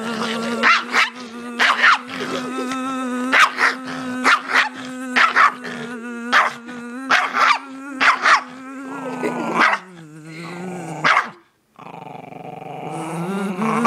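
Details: Dog that hates bees and insects, going wild at a buzzing noise: loud, frantic barks and yelps roughly once a second over a steady low buzzing drone, ending in whiny, strained cries as the buzz shifts.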